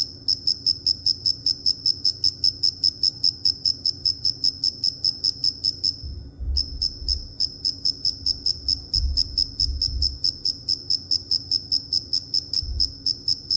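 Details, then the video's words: Cricket chirping steadily, a high pure trill pulsing about two and a half times per second, briefly pausing near the sixth second before resuming; faint low rumble underneath. "Cricket Chirping"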